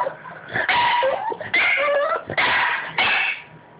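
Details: Indoor Boston Terrier wanting attention, giving breathy, snuffling whines in three or four bursts, with thin high whistled tones sliding through them.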